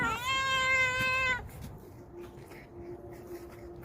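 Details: A stray cat from a vegetable garden, being given special food, lets out one long steady meow lasting about a second and a half, followed by quiet outdoor background with a faint low hum.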